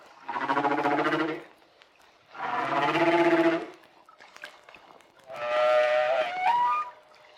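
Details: A Hawaiian humpback whale in shallower water, with little deep-water echo, sings long, moaning phrases rich in overtones, the last one rising into a wavering whistle.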